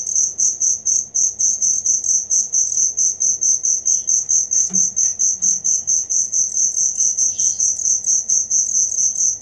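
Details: Real cricket sound kept as tutor material for songbirds: a shrill, evenly pulsed chirping that repeats rapidly and without pause, a couple of soft faint calls in the background.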